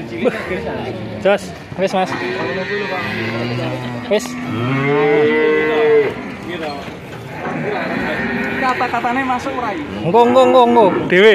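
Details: Young male cattle at a market in Grabag, Magelang regency, Indonesia. Fainter, scattered mooing rises out of market clatter, with one clear arched bawl midway and short calls near the end.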